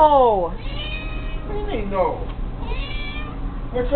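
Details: A pet kitty playing with a fishing pole lets out one short, falling meow at the very start, then people chat casually over a steady low hum.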